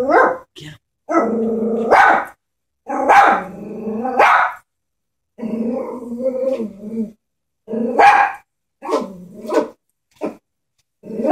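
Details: Frightened pet Chihuahua confronting a stuffed toy horse lets out a string of sharp, high barks mixed with rumbling growls, in irregular bursts with brief silences between them.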